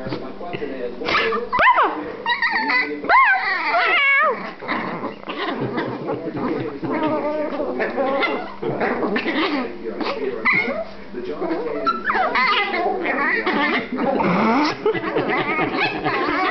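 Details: Brother and sister Silky Terrier puppies fighting while held by their owner, giving busy growls, yips and whimpers across the clip, mixed with near-constant human talk and laughter.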